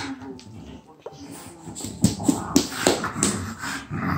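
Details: French Bulldog at play with a child over a single shared toy, giving a run of short grunting, growly bursts roughly every third of a second midway through, amid household rustling and handling noise.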